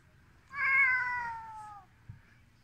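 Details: Siberian ginger tomcat named Volt, a domestic pet, meowing angrily when shown a hand: one drawn-out, harmonic-rich meow lasting over a second, slowly falling in pitch, followed by a brief soft knock in a quiet room.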